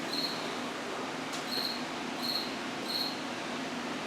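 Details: A cricket chirping indoors in an apartment washroom at 9:05 at night on September 8, 2024: four short, high, pulsed chirps spaced under a second apart, with one sharp click and steady room hiss.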